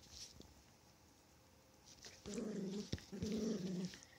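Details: Chihuahua at play, giving two low, rumbling growls of about half a second each, separated by a sharp click, after a quiet opening with faint rustling.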